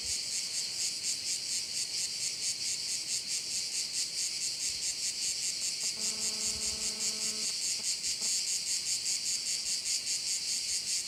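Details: Crickets shrill in a steady, intense high-pitched pulsing wall of sound over a bay on Korčula, Croatia; a brief low, droning tone with overtones sounds for about a second and a half midway.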